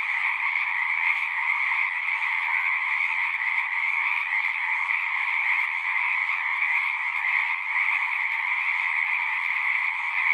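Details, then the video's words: Singing frogs in a thick, continuous chorus: overlapping high trills merge into a shimmering steady hum, lower voices beneath, with no pauses and nothing else audible. "One hour of singing frogs."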